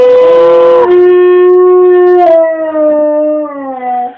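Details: Domestic dog howling on cue from its owner, a sustained tonal wail that steps down from a higher opening pitch and slowly slides lower over four seconds.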